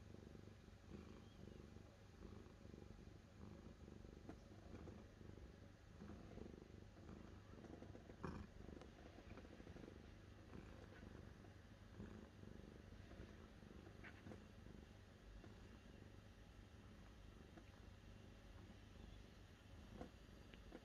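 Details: Long, unbroken cat purr, a low vibrating drone with regular pulses and faint clicks over about twenty seconds.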